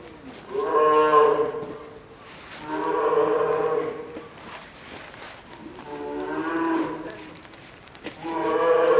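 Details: Captive polar bear cub, a nine-month-old female at Maruyama Zoo, Sapporo, crying louder after being scolded by her mother on a stormy October morning, seemingly hungry before lunch: four long, wavering moans with rich harmonics.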